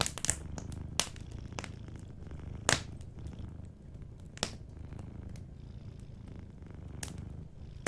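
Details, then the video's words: Soft low purr of a sleeping cat under loud, snapping fireplace crackles and pops that stand out above the quiet rumbling. "Warm Fireplace Ambience with a Sleeping Cat 🐱💤Fireplace & Soft Purring"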